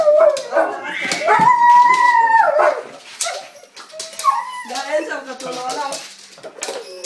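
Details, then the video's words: Rasta, a pet dog indoors, reacts to cat voices played on a speaker with a drawn-out, wavering whine that rises and holds steady for about two seconds, then softer whimpers, while a person talks to him in Hebrew. "funny dog hears cat on the speaker"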